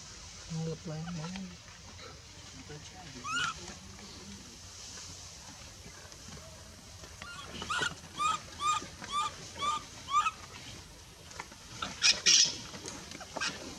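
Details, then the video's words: In the Bayon area a baby female monkey rejected from milk by her mother; talking and rustling open the recording, then a series of high, arched cries about twice a second, ending in a sharper squeal. "Super sad baby monkey is crying when her mom is try pushing her out for reject milk..."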